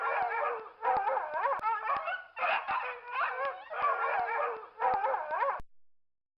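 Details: Bursts of quavering, pitch-bending dog howls with rich overtones, several in close succession, then a fading tail and silence.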